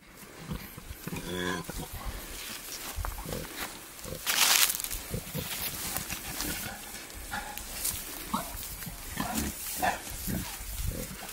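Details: Male wild boar courting a sow in natural surroundings, giving irregular rough grunts and snorts, with a brief tonal squeal early on and a sharp burst of noise midway, amid rustling.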